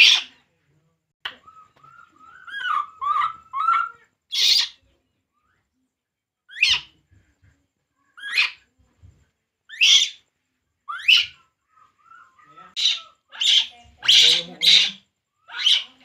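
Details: Long bout of crying from Poo, a baby monkey drinking milk: repeated piercing rising shrieks, some in rapid clusters, mixed with softer mid-pitched whimpering notes and brief low shuffling sounds.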